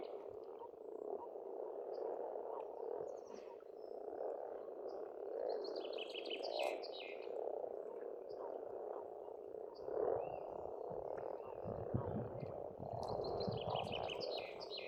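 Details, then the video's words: At a rural Estonian pond in spring, many frogs keep up a continuous low croaking chorus, while short bursts of high trilling birdsong break in twice. "пение птиц и лягушек"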